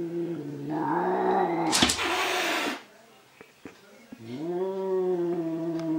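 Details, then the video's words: Domestic cat, angry, squaring off against himself in a mirror: a sustained wavering yowl broken by a sharp burst of hissing spit, then a short silence before another low moaning growl rises. "Angry Cat Fight with Himself in a Mirror"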